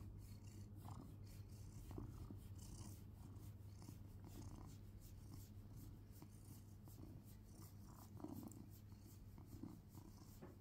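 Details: Domestic cat purring during a belly rub at home, a steady low rumble throughout with soft scratching and rubbing noises on top.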